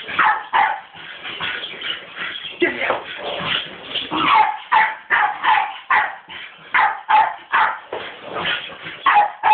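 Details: Female Staffordshire Bull Terrier barking at a skateboard; rapid, rough, repeated barks and whimpering yelps about twice a second, with a person's voice mixed in.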